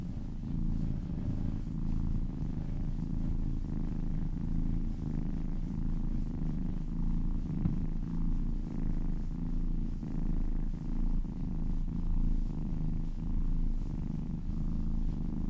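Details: Kitten purring while being massaged, a steady low rumbling purr with a slow pulsing rhythm of inhale and exhale, roughly every second or so, close to the microphone in a quiet indoor setting.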